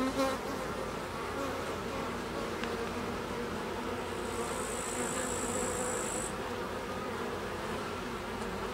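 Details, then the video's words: Steady drone from Carniolan honey bees, Apis mellifera carnica, a thick low buzzing hum without pause, with a thin high tone appearing for about two seconds midway. "Apis mellifera carnica - Carniolan honey bee"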